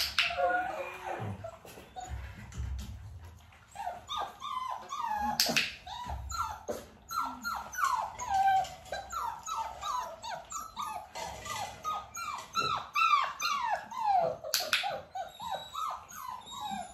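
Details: Dalmatian puppies, nearly six weeks old, with their mother Arya during clicker training: a dense, overlapping run of short, high whimpers and yips, each bending up then down, repeating almost nonstop, broken by a few sharp clicks.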